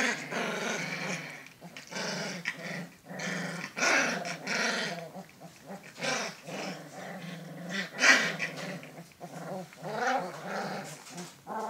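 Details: Alaskan Malamute pups growling and grumbling continuously indoors, rough raspy rumbles rising and falling in overlapping bursts with occasional higher yips mixed in.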